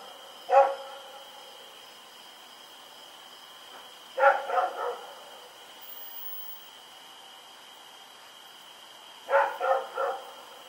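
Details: Dog named Rex barking while running about in the night, recorded October 7, 2018 in Pyrga; a single bark, then two short clusters of two or three barks roughly five seconds apart, with a persistent high tone behind.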